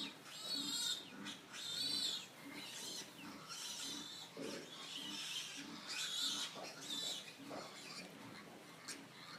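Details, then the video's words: Pigs give loud piercing squeals, repeated screeching bursts with strained whistling overtones, mixed with short lower grunts and snorts between the cries. "Pigs Squealing Sound Effect"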